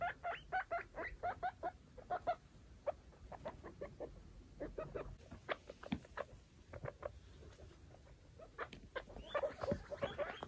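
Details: Foster baby guinea pigs with mother exploring their cleaned cage; bursts of short squeaky chirps at the start and end, with rustling, scratching bedding and clicks between.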